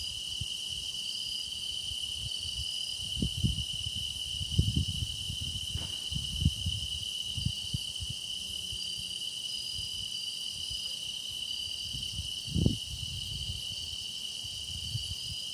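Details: Grass insects keep up a steady shrill trill for meditation listening, with faint wavering upper tones. Scattered low thuds and a brief sweeping noise interrupt the background.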